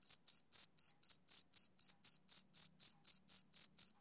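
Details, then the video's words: Rhythmic chirping from a male cricket on a summer evening, about sixteen crisp high-pitched pulses evenly spaced, ending abruptly, with no other sounds. "Cricket Chirping"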